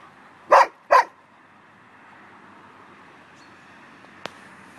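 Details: Oversized long-haired male German Shepherd, 1.5 years old, neutered, up for adoption: two short, sharp barks half a second apart, then quiet room noise and a single click.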